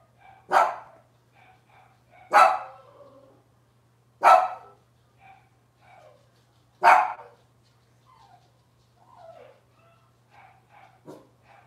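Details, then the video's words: Robin's litter of Cavalier King Charles Spaniel puppies, indoors on a morning kitchen-cam livestream: sharp, bright yips repeated roughly every two seconds, four strong ones with fainter whimpers between, then a few weaker squeaks trailing off, against a low electrical hum. "Cavalier Puppy Live Stream: Robin's Puppies"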